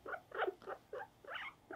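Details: Guinea pig Mopuko, held for grooming and nail trimming, utters a run of five lower, throaty squeaking notes in a close, indoor setting.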